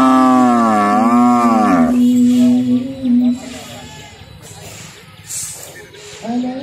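A cow gives a long, deep moo that dips and rises before fading out.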